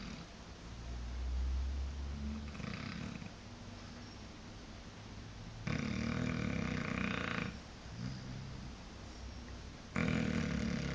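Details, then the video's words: Blue Shar Pei dog asleep and snoring, a low rumbling breath repeated in slow cycles, some breaths louder and rasping, recorded on a phone with steady background hiss. "shar pei snoring"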